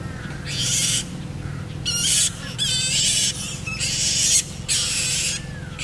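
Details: Variable flying foxes pairing: about five harsh, broadband screeches, each under a second long and separated by short gaps, over a steady low hum.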